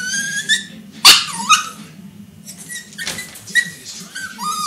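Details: Whining Yorkipoo pup protesting being in timeout, seeking attention; high, strained whines held then falling, broken by a loud sudden burst like a stomp or yelp near the start, in a quiet indoor room.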